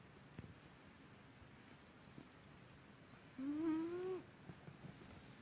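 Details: Byuri the cat, asleep and snoring loudly enough to be mistaken for a person, lets out a single rising whistled snore near the end after several seconds of near silence with a few faint clicks.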